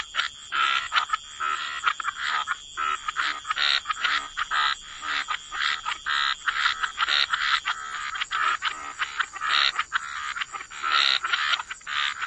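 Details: Croaking frogs in a wetland setting, short rasping calls repeated roughly every second in uneven bursts, with a few callers alternating and a steady high ringing background throughout.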